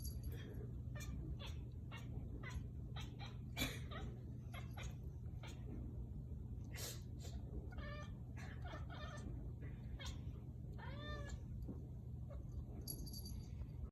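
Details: Indoor recording of the kitten Figaro chasing a laser, producing crazy noises heard only during this play: scattered ticking clicks and taps with several brief chirping, wavering calls, one longer trill near the end, over constant low hum.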